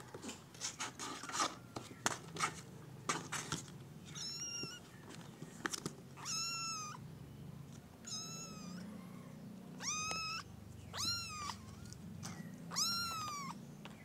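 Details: Kittens of a domestic cat meowing indoors: after some clicks and handling knocks, a string of high, harmonic-rich arched meows, each about half a second, repeated roughly every second or two, with a low background hum.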